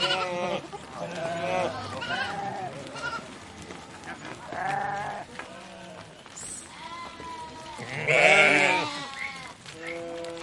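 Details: Sheep bleating while grazing, a series of nasal, trembling bleats from more than one animal with short pauses between calls, building to a loud drawn-out bleat near the end over a low background murmur.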